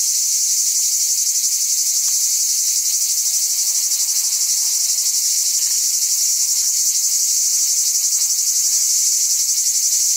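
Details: Steady, piercing cicada drone, a dense high hiss-like buzz with faint rhythmic pulsing that runs without pause for the whole stretch.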